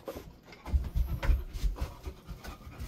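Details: Resting Golden Retriever in a cool indoor room, fast low panting with thumping breath pulses about every quarter second, close to the microphone.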